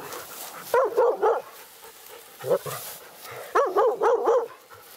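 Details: Laika at a nighttime badger hunt, the dog's first encounter with a badger; two quick runs of three to five sharp, high barks separated by a pause with one lone bark and faint low noise.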